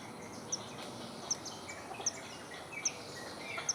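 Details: Squirrel in the forest giving sharp, very high, thin chirps, repeated roughly every 0.8 seconds, five in under four seconds, over a steady hiss of forest background noise.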